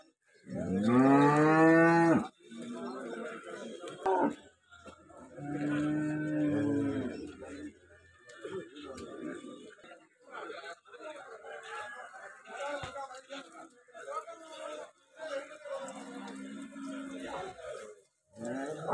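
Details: At a Kerala livestock market on the Thiruvananthapuram–Kollam border, Vechur bull and heifer calves low: a loud rising-then-falling bellow opens, a second softer moo follows, then chatter, clatter and brief faint lowing.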